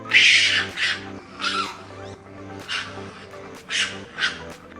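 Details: Raccoon, an animal with more than ten different sounds, giving one of them: a series of harsh, hissing, high chittering bursts roughly every second, some double, over a steady background of music.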